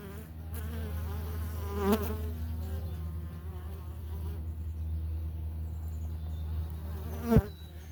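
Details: Italian honey bees working at the entrance of a homestead hive on a morning visit, foragers returning with pollen; a steady low buzz with swirling flyby tones and two sharp clicks around two and seven seconds.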